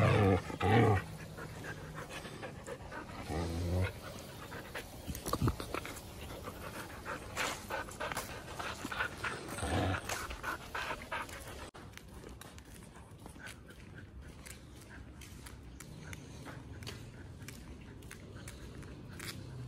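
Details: Siberian husky Berlín, filmed during its first year of growth, gives a run of rough, rhythmic breaths, louder at first and then fading into steady background hiss.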